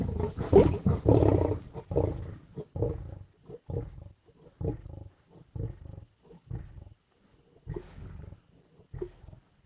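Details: Lions growling, snarling and biting at a carcass in Indian bush: a long, deep rumbling snarl opens, then shorter rough guttural grunts in uneven half-second bursts with brief silent gaps.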